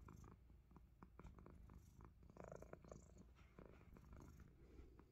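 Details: Purring from a Himalayan Persian cat that loves biting fingers: a continuous deep, pulsing rumble with a few brief crackling taps layered on top.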